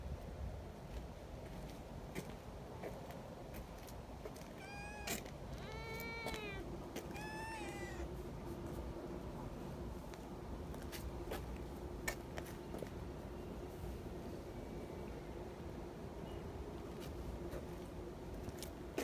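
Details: Kittens among friendly community cats give a short run of four or five thin, bending meows early on, followed by quiet outdoor background with a low steady drone and occasional clicks.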